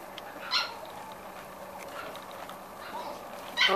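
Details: Corgi puppies six weeks old from a litter give two short, high, whining yelps, one just after the start and one at the very end, with a quiet stretch of low room noise in between.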